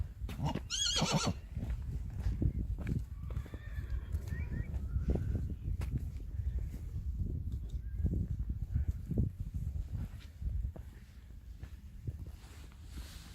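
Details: Friesian horse filly on her first time in the field: a short harmonic whinny near the start, then mostly low thudding hoof and movement noise with a faint second call.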